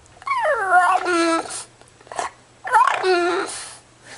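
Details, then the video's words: Pet dog "talking" to its owner: two drawn-out, wavering whine-like vocal phrases with falling and rising pitch, separated by a short pause, with a faint steady hum underneath. "Funny Talking Dogs Compilation Talking Dog Videos"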